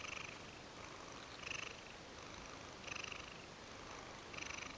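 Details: Ragdoll cat named Mojio, sleepy and giving big yawns indoors; soft breathy purring in rasping bursts about every one and a half seconds, each burst lasting roughly half a second, over a steady faint hiss.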